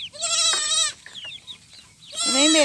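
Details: Goat kids rejected by their mothers and bottle-fed: two loud, strongly harmonic, wavering bleats, one lasting nearly a second at the start and another rising at the end, with faint chirps between.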